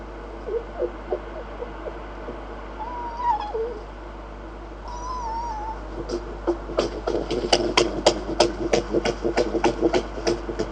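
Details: Red fox making a drawn-out, wavering whine, followed by a run of fast repeated clicking pulses, several per second, that grows louder toward the end.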